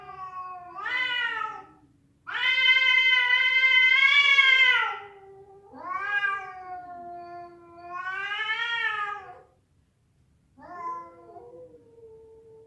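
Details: Yowling domestic cats in a fight, a female calling for a male: a series of wailing cries, one long steady howl of several seconds, then shorter rising and falling moans with gaps between.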